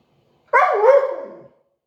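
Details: Siberian Husky "talking": a single short howl-like vocalization about one second long, starting with a sharp onset, wavering in pitch with a dip and rise, then trailing off quieter; no other sounds.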